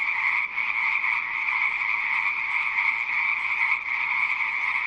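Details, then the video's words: Frogs calling in a dense, steady chorus, a continuous rasping drone holding level for about five seconds with a brief dip near the half-second mark; no other sounds stand out. "Rah ama harre | frog | ضفدع"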